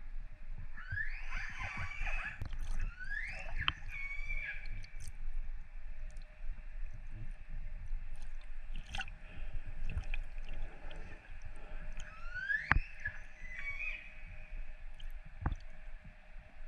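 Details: Underwater recording of wild, free orcas in northern Norway, December 2018, made in darkness: bright upswept squeals with stacked harmonics come in clusters at the start and again later, over a constant low drone and gurgling water.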